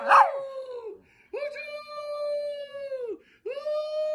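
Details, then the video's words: Chihuahuas howling, a sharp yelp opening into a long, even howl that sags at its end, then another sustained howl beginning after a short pause. "Chihuahua dogs barking and hauling"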